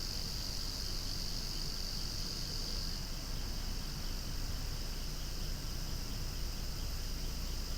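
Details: Loud cicadas calling outdoors among swaying flowers, an unbroken high shimmering drone that eases slightly after three seconds, over a low steady background rumble.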